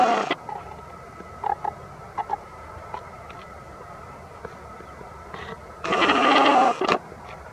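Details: Three young red fox kits at play give harsh, grunting squeals and a few short chirps between quiet pauses.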